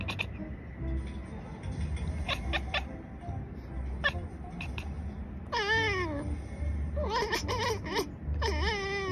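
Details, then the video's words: Conversation between two pet cats: brief clipped meows early, then longer bending, slightly whiny meows later, answered in quick succession over continuous soft background music. "conversation between two cats"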